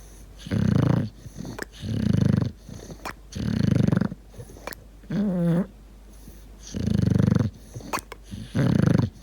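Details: Sleeping bulldog snoring indoors, six deep rasping snores roughly every one and a half seconds, one turning into a wavering wheezy whistle.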